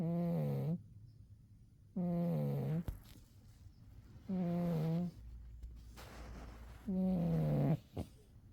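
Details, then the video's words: Umi, a pet cat, sleeping soundly in winter and snoring: four drawn-out, nasal, buzzy-toned breaths, each under a second and steady in pitch, coming roughly every two and a half seconds, with quiet pauses between. "Umi the cat winter zonks and snores"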